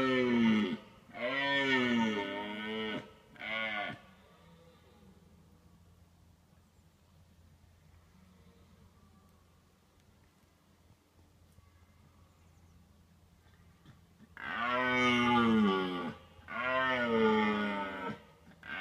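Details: A red deer stag, watched from a car during the autumn rut, gives deep, drawn-out roaring bellows in two bursts to warn off rival stags, with hinds also nearby.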